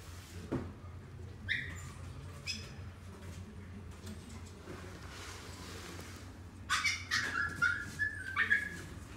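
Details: A dog at a pet shop gives a few thin, high whimpers early on. Near the end comes a quick run of squeaky, whistle-like whines over a low background hum.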